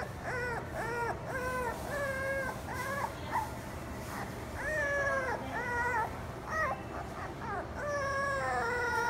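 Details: Beagle giving a run of high, arching whines and yelps, each rising then falling, repeated in quick bursts with brief pauses, a steady low hum beneath.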